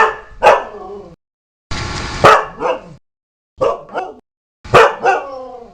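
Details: A dog delivers harsh, doubled barks in quick succession, some with a hissing noise underneath, spaced about a second apart.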